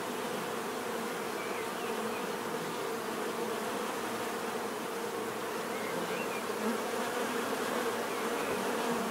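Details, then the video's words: Continuous buzzing of many bees, an even, humming drone with faint brief higher whines of individual insects flying past over the steady background. "bees therapy relaxing natural buzzing sound"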